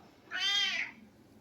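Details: Pet cat's single clear meow, about half a second long, bright and rising slightly before falling away, in a quiet room.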